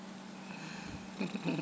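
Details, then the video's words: Pet rescue cat, a female that likes to talk and be petted, purring softly indoors in a quiet room; a low rumbling purr swells near the end, with a person speaking nearby. "My "Talking" Cat"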